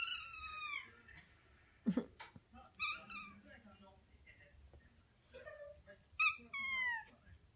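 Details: A Japanese tabby cat playing with a mandarin-orange toy meows indoors. Three clear, drawn-out meows fall in pitch: at the start, near three seconds and near the end. Softer chirps and sharp knocks come between them.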